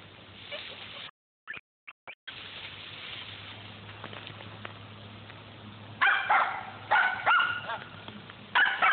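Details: Squirrel hunting dogs near Millen on a squirrel hunt. After several seconds of outdoor noise and brief dropouts, a few loud, harmonic barks break out near the end, irregularly spaced.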